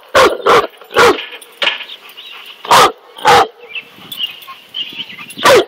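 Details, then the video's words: Large Southern Italian guard dog, a Cane Corso, facing a king cobra and barking repeatedly; three fast barks, then one, then spaced pairs and a final bark, with a low humming background in the gaps. "Fearless cane corso vs king cobra"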